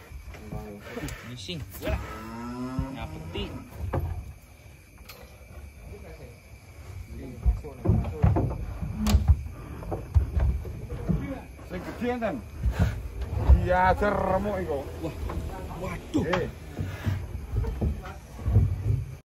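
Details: Giant cattle being unloaded from a truck in 2025: deep, drawn-out moos with rich droning harmonics that rise and fall, over heavy low rumbling from the truck and people talking nearby.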